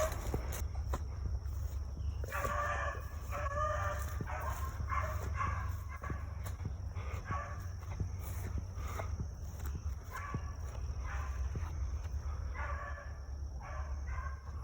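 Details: A 7-year-old female beagle running solo in the offseason in North Carolina gives bursts of quick, ringing barks and bays while trailing a cottontail rabbit circling in a block of woods.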